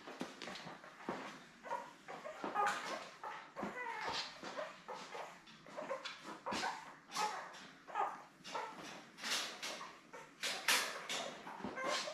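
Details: Litter of seven newborn Labrador Retriever puppies, born May 24, with their mother Belle, filmed indoors on a June 3 puppy cam; a constant chorus of high, thin squeaks and whimpers overlaps in quick, irregular bursts with soft rustling.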